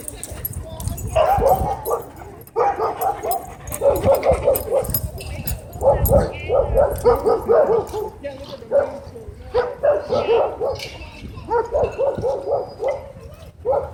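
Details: Threatening dog at a dog park, warning off the one filming it, barks in repeated bursts of three to five sharp, mid-pitched barks every second or two, with people talking in the background.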